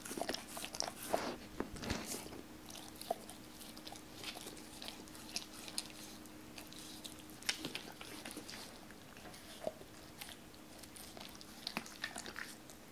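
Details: Doberman named Cola eating uncut raw chicken indoors for the first time, wary at first, later eating pieces cut for it; sparse crunchy bites and wet clicks in a small quiet room, a faint steady hum underneath.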